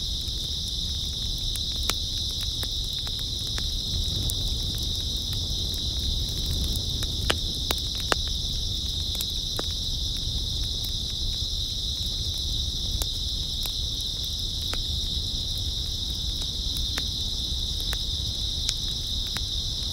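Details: Grass insects on an early autumn night, heard as a steady, shrill, unbroken high trill from a massed chorus. Scattered sharp crackles and clicks punctuate it, and a low rumble sits underneath.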